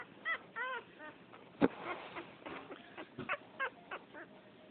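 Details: Female French Poodle puppy, the plumpest of a second litter, pouting: short harmonic whimpers, some rising then falling, come in uneven bursts, with one sharp broadband knock near the middle.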